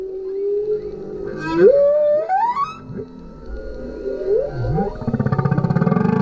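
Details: GoPro recording of a male humpback whale singing below a kayak: a steady mid tone, a bright rising whistle sweep, soft lower grunts and slides, ending in a throbbing pulsed moan.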